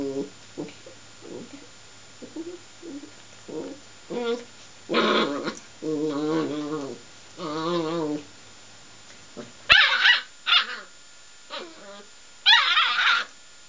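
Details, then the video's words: Seven-week-old Border Collie puppy scolding a radiator that bit its nose: a run of short low growly yaps, then longer harmonic whining barks, ending in sharp high yelps. "Border Collie puppy tells off radiator"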